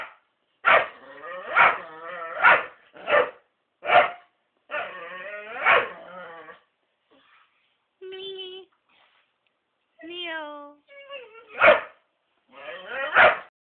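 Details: Whippet eager to reach a black cat, yelping repeatedly; loud strained barks and yips in a rapid series, then drawn-out rising and falling whines before more sharp yelps.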